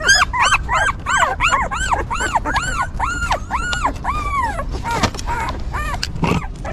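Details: Squeaky arched whimpers from newborn puppies looked after by a stray mother dog, quick repeated cries slowing into longer drawn whines midway, then softer scattered squeaks and faint rustling at the end.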